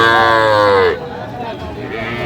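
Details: Young cattle at Aftab Bazar cattle market in Bangladesh on 3 August 2025, where small bull and heifer calves are sold: one loud, drawn-out bawling moo with a slightly falling pitch for almost a second, then the murmur of the crowd.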